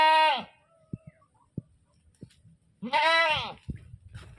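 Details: Screaming goat: two loud bleats, the first trailing off and the second wavering and rising before sliding down, separated by scattered knocks and soft thuds.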